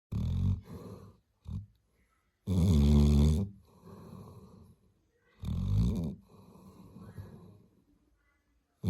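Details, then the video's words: Labrador Retriever snoring loudly, with deep rattling snores in bursts every two to three seconds and softer wheezy exhalations between them. "лабрадор храп"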